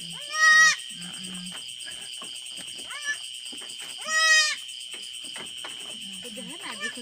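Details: A goat gives two high, wavering bleats a few seconds apart, in the evening after the mother gave birth to premature female twins about two hours earlier, with quiet talking and a steady whine behind.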